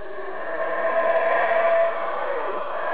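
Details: Howler monkey calling from somewhere overhead, unseen but close: a deep, rough, breathy roar that swells after half a second and holds steady and sustained to the end, with no other clear sounds.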